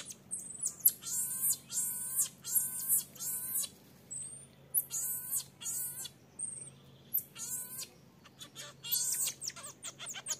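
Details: Young marmoset asking its mother for milk and being firmly turned away; long, buzzy, harmonic cries repeat roughly every second in bursts, broken by short thin whistles and a closing flurry of high chirps.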